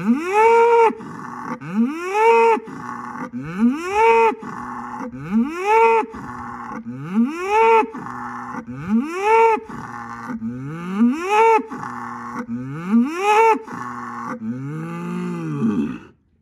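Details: Angus bull in a barnyard calling to two other bulls across the yard to show he is the boss; loud rising-and-falling harmonic bellows repeated about every 1.7 seconds, ending on a lower drawn-out call.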